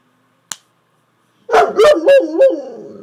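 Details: A pet Saint Bernard that loves to talk to its owner seems to be trying to tell her something. After a single sharp click, it gives one drawn-out, wobbling, rising-and-falling 'woo-woo' moan lasting about a second and a half.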